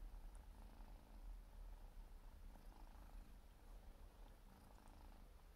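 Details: A four-month-old Siberian forest cat kitten, busy grooming, gives a very deep, even purr, a low throbbing drone that swells and eases slightly without pause.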